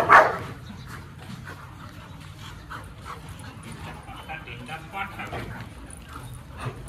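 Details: Two dogs, Lucy and Max, described as an Indian breed, having fun together; a single sharp, loud bark bursts out at the start, then quieter background rustling with faint speech.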